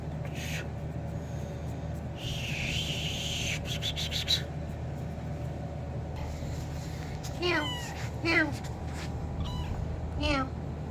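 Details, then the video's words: Kitten meowing loudly to attract its owner: a run of short, rising-then-falling meows clustered near the end, several in quick succession, over a steady low hum, with an earlier brief higher-pitched noise burst. "kitten meowing loudly to attract me"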